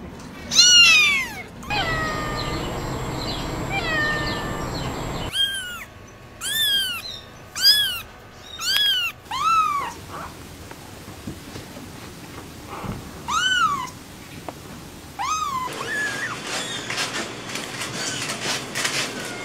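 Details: Kitten producing a series of short, rising-falling meows in bursts, with gaps of hissing background noise between groups and a noisy, crackly stretch near the end.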